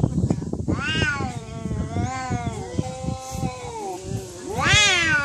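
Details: Fighting cats: drawn-out, wavering yowls rich in harmonics, pitch bending down and back up over several seconds, then a sudden louder rising screech near the end; scuffling thumps and bumps under the opening cries.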